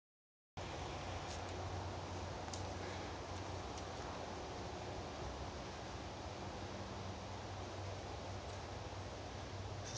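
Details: Steady broadband hiss with faint rustling and no clear animal calls.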